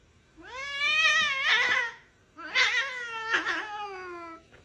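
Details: Domestic cat meowing indoors: two long, drawn-out meows about a second and a half apart, each rising then falling slightly with a strained, wavering middle; quiet room, no other sounds.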